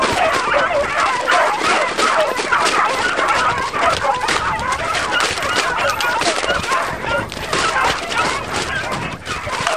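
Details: A pack of beagles hunting roe deer, a French hunt "au bâton" on foot; many overlapping barks and bays in a dense, continuous chorus with broadband noise throughout.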